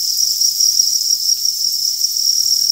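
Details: Crickets kept on a cricket farm give a dense, continuous shrill trilling with no pauses, the sound even and unvarying, and a faint voice cuts in right at the close.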